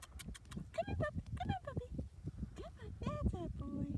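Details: Four-week-old Maltese / Shih Tzu puppies give a rapid run of short, high whines and yelps, each bending up then down, overlapping one another above a low rumble of handling and movement noise.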